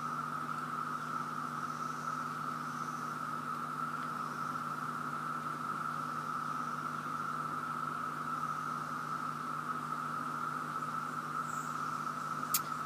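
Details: Cicadas in Virginia massing in a loud, continuous chorus, one even, unwavering buzzing drone over a low hum, with a sharp click at the very end.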